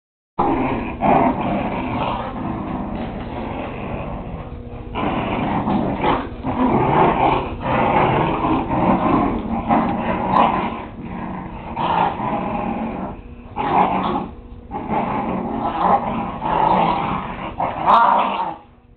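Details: Whippet puppies playing together, growling in rough bursts of varied length with brief pauses between them, recorded on a Kodak DX6440 digital camera; the low, harsh noise comes and goes throughout.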